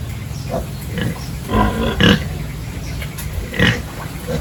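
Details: Farm pigs in their pens during a morning feeding and cleaning routine at a village farm: short, rough grunts come in scattered bursts over a low, steady background rumble.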